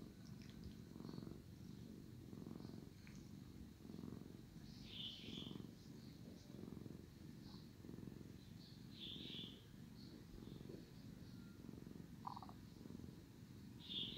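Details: Male domestic cat, sleepy and being cleaned by his brother, keeps up a loud, grainy purr in rhythmic surges about every second, with occasional brief high-pitched squeaks over it.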